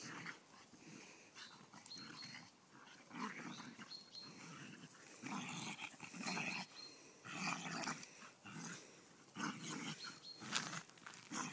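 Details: A Golden Retriever puppy and a whippet cross squabble over a stick; throaty growls arrive in uneven bursts roughly every two seconds, with rustling and panting in between.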